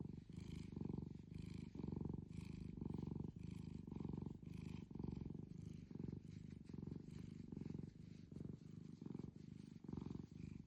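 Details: Steady rhythmic purr of a long-whiskered tuxedo cat, a low buzzing rumble pulsing with its breathing nearly twice a second, close and loud over faint background hiss.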